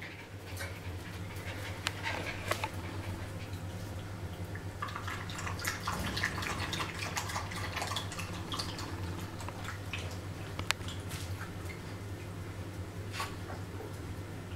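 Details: A litter of 5-week-old Jack Russell Terrier puppies, together with an adult dog, give soft, high whimpers and squeaks over a low indoor hum.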